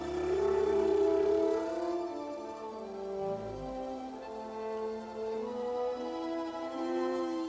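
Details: Humpback whale song, thought to be sung only by males as a love song and heard for hundreds of miles around tropical calving grounds: long tonal moans and wavering cries with a deep downward sweep, over faint music.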